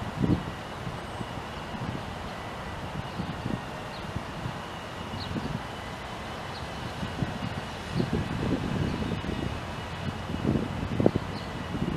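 Low rumbling wind and rustling, with no animal calls to be heard.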